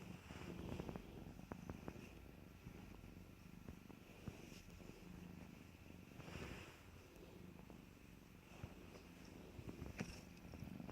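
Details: Young cats playing together produce a constant low, throbbing purr, with brief rustles and taps as they move about and a thin steady hum behind.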